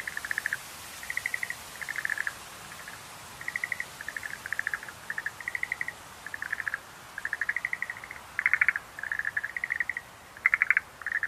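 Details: Schlegel's green tree frog calls as short pulsed bursts of clicking notes, each lasting about half a second, repeated every second or so in a steady run, several overlapping voices, quiet background.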